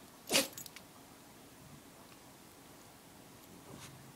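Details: A pet dog named Luigi gives a single sharp, breathy sneeze near the start, followed by faint small clicks and a quiet indoor background with a soft second puff near the end.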